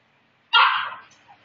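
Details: Maltese puppy letting out a single bright, sharp bark that fades quickly in an otherwise quiet room.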